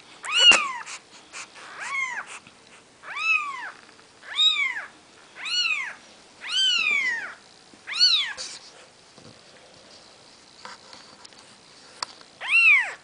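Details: Newborn Maine Coon kittens of Nikita's litter, four days old, calling in a run of loud, high mews, each rising then dropping, about one per second, pausing briefly before a final cry.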